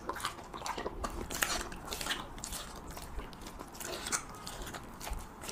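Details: Husky dog chewing cheese meat up close, giving dense crunchy mastication: rapid crackling bites and lip smacks packed tightly together, with occasional sharper crunches.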